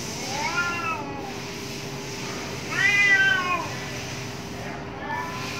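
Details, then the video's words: Angry cats fighting behind a home: three separate arching yowls, rising then falling, the middle one loudest, spaced by quiet gaps with a steady low hum. "cat sounds-CATS FIGHT with their sounds, Angry Cats Fight behind my home"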